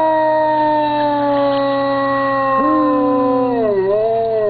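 A dog's long, sustained howl, slowly falling in pitch with a wavering dip near the end.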